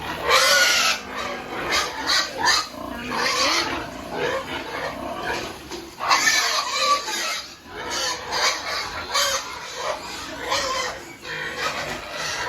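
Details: Piglets being weaned from their mother sow on an integrated farm in Penablanca, Cagayan, Philippines: loud, harsh screaming squeals in rapid repeated bursts, many animals overlapping, with short pauses between volleys.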